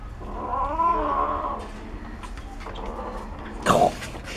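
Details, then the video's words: Cat eating bones and growling: a wavering, moaning growl for over a second, a fainter rumble after, then a sharp knock near the end. "cat5 growling eating bones"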